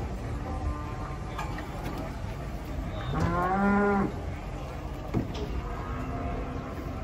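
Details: A giant bull, raging as it is brought down from a truck, bellows one strong, rising and falling moo of about a second. Men's voices and engine rumble surround it.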